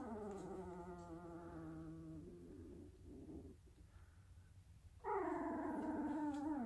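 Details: Dalmatian puppy asleep, giving a long, steady, nasal whine that fades into quieter breathy murmurs and then returns loudly with a higher, wavering whimper.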